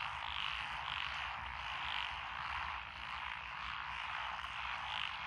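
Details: Frogs in lotus rice fields beside a rural road in Echizen, Fukui, Japan, June 2021, a mixed-species chorus: continuous rasping croaks with a few louder swells rising above the background.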